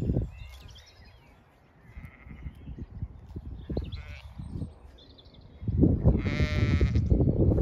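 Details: Zwartbles sheep, ewes with lambs, in a sunlit field on a County Kilkenny farm in Ireland, cool breeze blowing; strong gusting wind rumble throughout, faint distant bleats, then one loud, drawn-out, quavering bleat near the end.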